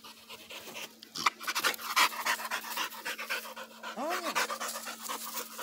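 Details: American Pit Bull Terrier, a blue Pit Monster dog eight months old, panting in quick rough breaths about three per second, with a short voice and a brief whine near the end.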